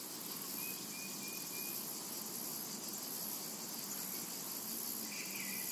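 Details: Summer meadow ambience of cicadas: an even, high, sizzling buzz with slow pulsing, a brief chirping run early on and a short brighter rasp near the end.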